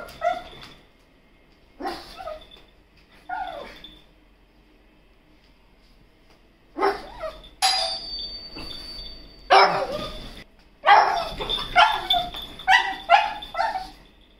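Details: Pet pug Toto at home in India gives scattered yips and whines early on, then a fast run of sharp barks roughly every half second in the last few seconds, with a faint tone in the background.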